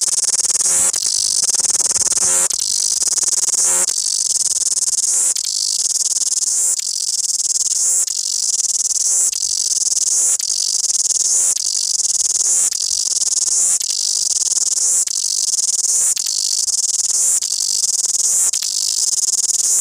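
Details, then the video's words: Wellington cicada chorus: a piercing, steady electric-sounding buzz. Quick pulses and tone changes recur about every one and a half seconds throughout, and nothing else is audible. "Loud cicada Singing Wellington"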